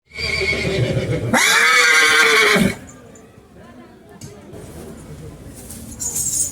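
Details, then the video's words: Indian horse in a playful, excited mood, calling again and again; one loud, bright whinny of about one and a half seconds rises then falls, followed by quieter background noise and human voices. "घोड़ा बाजीराव आया मस्ती में देने लगा आवाज पर आवाज"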